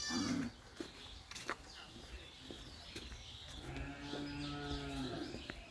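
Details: Sheep returning home to the farm after a day grazing on pasture, waiting for grain feed; one steady mid-pitched bleat near the end, with a brief cry at the start and background rustling.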